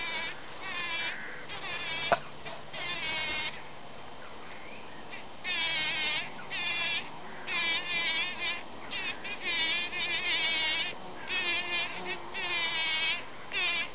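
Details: Several bees busy packing in pollen give a run of buzzy bursts, some short and some lasting a few seconds, with brief quiet gaps between them and one sharp tap early on.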